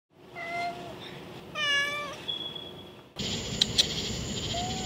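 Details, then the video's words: Friendly feral cat that likes to talk, giving two clear meows with harmonic stacks, the second louder and slightly wavering, followed by a brief high tone; a steady high-pitched hiss and background noise take over near the end. "Feral cat likes talking…Meow"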